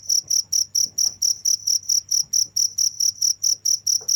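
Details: Close cricket chirping, bright piercing pulses in a fast regular series of roughly two per second, with faint low rustles behind.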